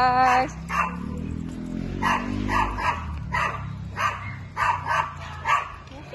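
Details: A poodle, filmed while watching the Euro 2024 final, barks in a steady run of short, sharp yaps spaced about half a second to a second apart, with a person talking over the opening moments.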